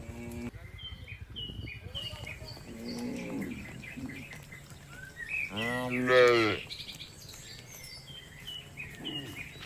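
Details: Village red cow grazing contentedly beside a companion, giving one strong, rich moo at about six seconds after a softer low call, with birds chirping steadily in the background.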